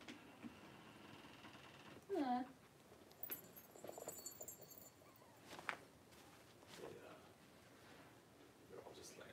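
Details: Three-week-old blenheim Cavalier King Charles Spaniel puppies, a litter of five, wrestling and playing in an indoor puppy pen; one short whimper rises and falls, followed by soft rustling, scattered faint squeaks and quiet human speech.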